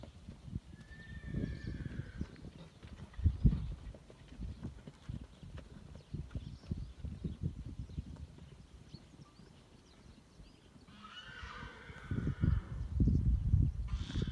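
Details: Pura Raza Española horses, stallions and mares in a herd, fighting as a new young stallion joins: a brief thin whinny early on, then louder harmonic squealing neighs near the end over steady hoofbeats and thuds.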